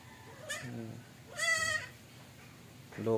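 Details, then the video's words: Goat refusing to nurse, one loud quavering bleat of about half a second, with a person talking just before it and again at the very end. "ang kambing ni bonso ayaw domidi"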